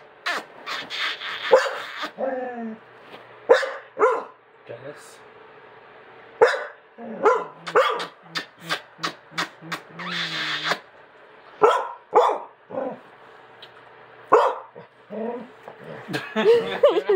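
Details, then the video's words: Dog reacting jealously as its owner kisses another dog, United States; repeated sharp barks and yelping whines in irregular bursts, mixed with human speech and laughter. "Dog Gets Jealous When Owner Kisses Another Dog"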